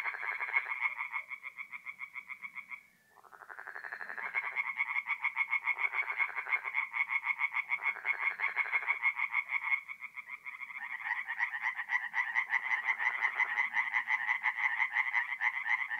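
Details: Tree frogs in full chorus after dark at a forest pond in north-east Italy in mid-April; many rapid, rasping croaks overlap into a continuous pulsing wall of sound, briefly pausing then resuming louder and denser.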